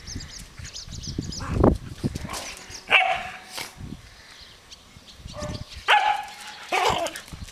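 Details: Dogs giving two drawn-out, whining tonal calls among short yelps and rustling noise.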